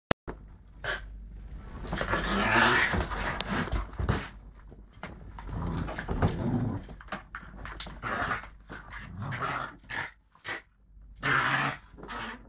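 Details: Lakeland Terrier pup playing with a Lakeland x Patterdale cross, recorded on a mobile phone: repeated rough, harmonic growling bursts and huffs, loudest around the third and twelfth seconds, with panting between and occasional clicks and knocks.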